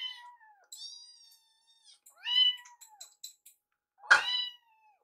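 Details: Rescued kittens Piyo and Yuki meowing over food as Yuki snacks on Piyo's leftovers; two drawn-out descending meows, a loud arched meow, then a sharp, abrupt cry.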